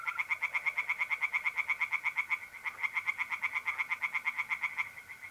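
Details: Pond tree frogs calling by night in mid-April in north-east Italy: loud, quick pulsed croaks, about three per second, in two long bursts, with mole crickets trilling steadily beneath.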